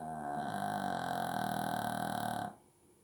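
A Shih Tzu snores with one long, rough, buzzing breath that stops abruptly.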